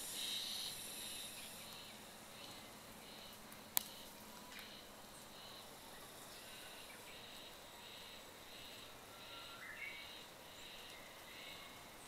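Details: At Oyama Shrine's Oku-no-in on 1 May, cicadas sing early in the season, heard on a wild boar patrol. Faint, high buzzing phrases pulse at a regular beat, with one sharp click and a quiet background.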